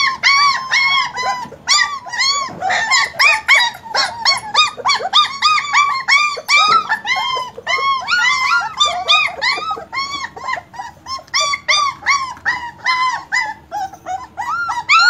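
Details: German Shepherd puppies keep up a busy, continuous chorus of high-pitched, arched whines and yelps, many overlapping, with brief louder squeals scattered throughout.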